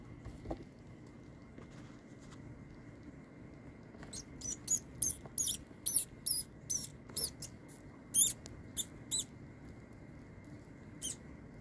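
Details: Mice squeak during a live feeding to a king snake, seven mice in all; a burst of sharp, very high squeaks comes in a quick irregular series for about six seconds over a steady low indoor hum.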